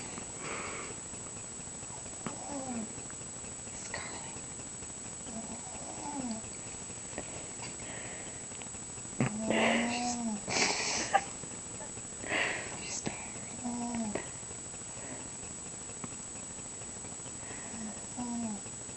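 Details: Scharlett, a sleeping pet mouse, snoring: soft, low whistled tones, each one rising and then falling, repeat every one to two seconds. A brief rustling burst comes near the middle. The background stays quiet.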